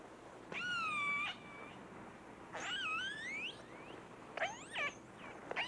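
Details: Hydrophone recording of distress cries from Namu, one of the first captured killer whales, while being towed toward Seattle and Puget Sound with other whales sighted nearby: harmonic, wavering squeals that rise and fall in bursts about a second long, echoing through the channel.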